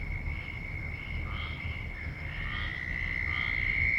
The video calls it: very loud noise frogs